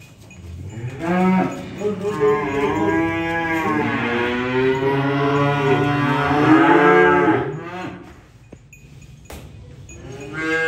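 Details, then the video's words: Cattle being unloaded, one long drawn-out moo lasting about six seconds, rich in stacked harmonics that waver and bend, with a few faint clanks and a fresh call starting at the end. "Proses Penurunan sapi"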